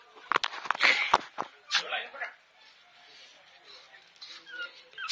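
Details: Shih Tzu puppies about two and a half months old give thin, high whimpers and yips among clattering sounds and a human voice.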